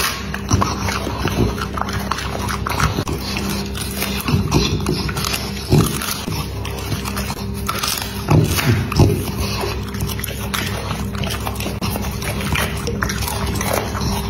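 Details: A dog eating: dense, irregular crunching and chewing clicks, with some louder bites near six and nine seconds, over a steady low droning tone that continues throughout.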